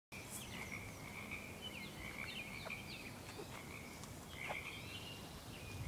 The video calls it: Frog Sounds